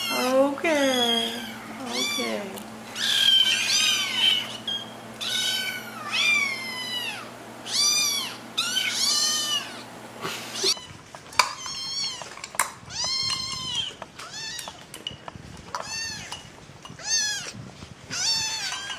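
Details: Little kittens calling for their owners' attention, a rapid run of high, overlapping meows with rising and falling pitch, some drawn out and bending, from several kittens at once, with faint background hum in the first half.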